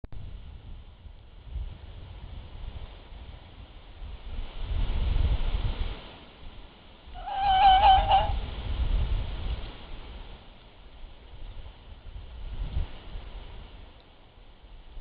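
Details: A red fox (Vulpes vulpes), possibly coughing or calling, gives a single short, hoarse, wavering cry against a steady low rumble of wind or distant traffic.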